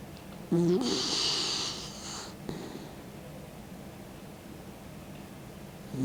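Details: Old dog Mick, aged 16, asleep and snoring with tongue out: a single low gurgling snort followed by a sharp, airy rush of breath lasting over a second, then quiet breathing.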